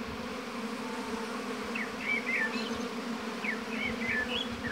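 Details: Honey bees humming at a hive in an apiary: a dense, steady low drone with layered bands, while small birds chirp brief high rising and falling notes through the second half.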